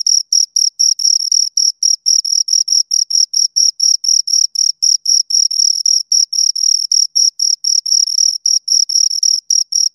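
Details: Steady chirping from two crickets, short shrill bursts about four per second, very regular and clean, with nothing else audible behind them.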